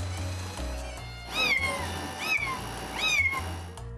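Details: A 6-week-old kitten living on a cafe roof gives three high, thin meows that rise and fall, calling to its mother over soft music; it is one of twin kittens kept on the roof since birth.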